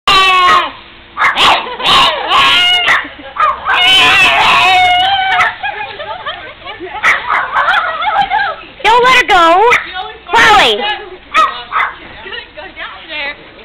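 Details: Pet pug excited by snow and a neighbour's dog, giving loud, high, wavering scream-like yelps and whines in bursts, rising and falling, mixed with a woman's voice speaking over it.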